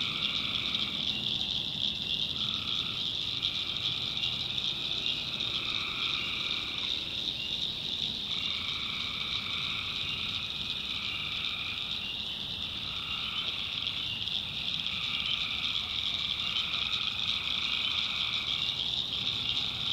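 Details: Tree frogs calling at night in a swamp in the backwoods of North Carolina: a dense, steady high chorus with overlapping nasal call bouts about a second long, repeating every one to two seconds throughout.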